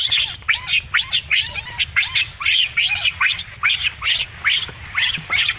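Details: Baby monkey, whose mother keeps mistreating it, screams in harsh high-pitched screeches repeated about twice a second, roughly a dozen raspy bursts in a row with no other clear sounds.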